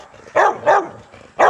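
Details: Young Rottweilers at a kennel, in an exercise yard during a workout: three short, sharp barks, two in quick succession and a third after a brief pause, against a quiet background.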